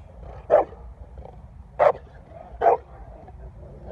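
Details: A Presa Canario barks: three loud, rough single barks come at uneven gaps of about one second, and a fourth begins at the very end. Low rumbling background noise sits between the barks.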